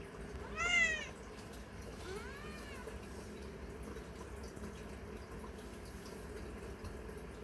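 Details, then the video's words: Affectionate, dog-like pet cat showing affection while being patted on the rump indoors; one loud, high meow with a falling pitch near the start, a softer second meow shortly after, then steady low background hiss. "애교많은 고양이 애정표현"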